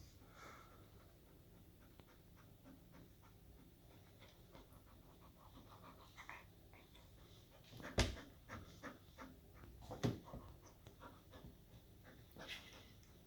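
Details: Golden retriever playing with a cat indoors, breathing in soft, quick, rhythmic breathy pants at low volume, interrupted by two sharp thumps near the eighth and tenth seconds and light scuffling sounds.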